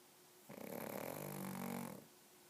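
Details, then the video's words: Pug named Biga, very sleepy, snoring: one drawn-out rattling snore of about a second and a half, low and buzzy with a rough grain, swelling gradually in loudness before stopping abruptly, with near silence around it. "Pug roncando"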